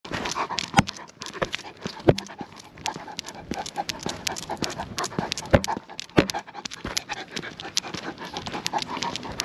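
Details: Great Pyrenees on a night walk, walking with a Golden Doodle, with steady rapid panting breaths and scattered sharp clicks and taps of movement throughout.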